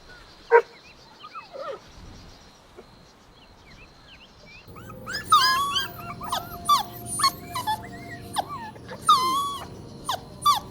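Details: Golden Retriever puppies playing outdoors in a green meadow give high, squeaky yips and whimpers that rise and fall in quick bursts, with panting.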